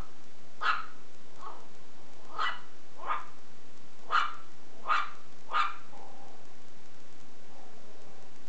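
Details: Playful Shih Tzu puppy tugging at a belt, barking in a quick series of about six high yaps, some doubled, then trailing off into softer whining sounds near the end, with constant background hiss.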